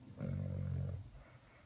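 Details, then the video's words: Domestic dog snoring indoors, a single deep, rumbling snore lasting under a second that fades into quiet breathing. "Snoring Dog"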